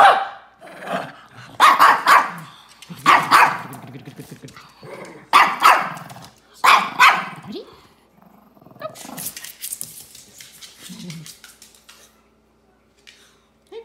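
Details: ZaiZai and MoMo, two Shih Tzus, argue over a toy with rapid, repeated sharp barks in bursts over the first eight seconds, mixed with growling, then fading into softer grumbles and shuffling.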